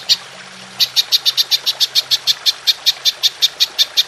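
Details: Golden grasshopper, or belalang emas, made into a songbird training track in the 'nembak panjang' long-burst style: one lone high click, a short pause, then a regular series of about nineteen sharp chirping pulses, five or six a second.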